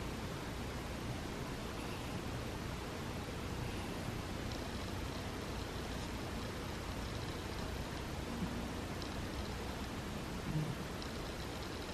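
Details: Steady broadband hiss, like rushing air or a fan, fills the whole recording with no distinct calls.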